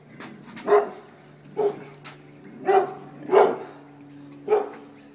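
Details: Dogs running from a deer mount, giving short barks about once a second, five sharp bursts with a steady low hum behind them.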